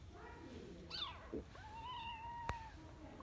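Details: A Mudhol Hound puppy plays with its mother, who calms it. The breed is an Indian hunting and guarding hound from Karnataka. Brief high yelps lead into a long, level, drawn-out whine of about a second, with one sharp click.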